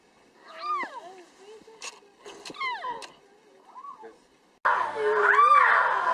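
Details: Lion cubs give high, squeaky mewing calls that rise and fall, with people talking in the background.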